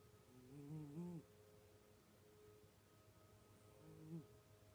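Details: Puma, a pet cat from a home where every cat snores, gives two drawn-out nasal snores with a rising whine, the first longer, separated by quiet breathing and a soft background hum.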